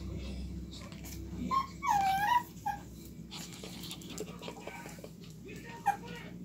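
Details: Two-month-old Shih Tzu puppies at play make a few brief, high whimpering yips, one sliding down and then up in pitch, over a steady low rumble, faint household noise and scattered clicks and taps.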